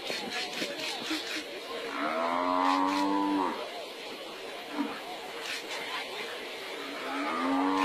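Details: Wild buffalo attacked by lions, rescued by a second buffalo; two mournful, falling bellows rise through heavy broadband noise and rumble, with scattered clicks and knocks between them.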